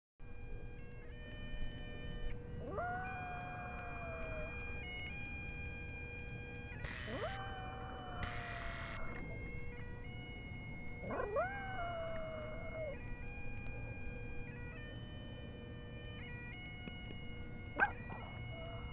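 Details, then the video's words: Baby, a pet Chihuahua, howling along to bagpipe notes for the first time at the base of Lookout Mountain in Phoenix, Arizona. Three drawn-out howls, around three, seven and eleven seconds, each sweeping upward and then holding, over a steady bagpipe drone. "Baby The Chihuahua Sings To Bagpipes"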